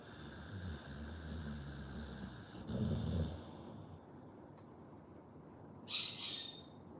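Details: Sleeping Pit Bull snoring: low, rumbling pulsed snores for about two and a half seconds, a louder snort near three seconds, then quieter breathing and a brief high hiss near the six-second mark.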